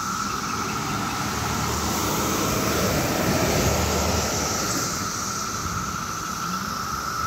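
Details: A massed chorus of 17-year cicadas in Maryland on a summer day gives a steady, droning hum over passing traffic; these periodical cicadas emerge in mass numbers and call into the night.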